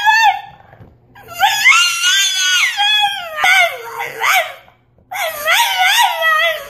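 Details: Indoor French Bulldog 'talking' in long, wavering, howl-like moans that slide up and down in pitch, in three loud phrases separated by short pauses.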